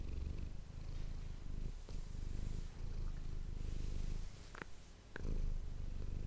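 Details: Manis, a pet cat, purring into an ASMR microphone; steady low rumble broken by a few short clicks and rustles near the middle, then the purr surges louder toward the end.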